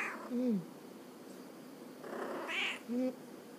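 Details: Munchkin cat kept indoors in Oita, Japan, calling back when its owner invites it to talk. A brief bright meow sounds in the middle, with soft low vocal murmurs before and after.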